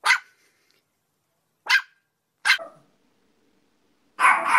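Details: Yorkshire Terrier barking: three sharp, high, clipped yaps spaced about a second apart, then a longer, harsher bark breaking in at the end.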